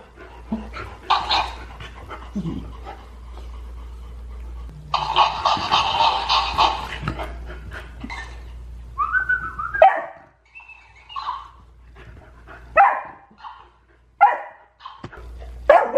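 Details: Golden Retriever kept as a household pet, squabbling with the family hamster in a scene that gets out of hand: scattered yips and rough barks, one long noisy bark, then a run of short barks and whines with quiet pauses between.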